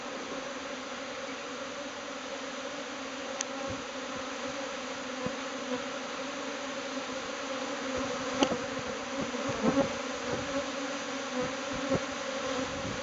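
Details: Japanese honeybees from a swarm cluster breaking apart, taking flight as a bee cloud toward a new home; a steady, dense droning hum with layered tones, and occasional louder buzzes of individual bees passing close.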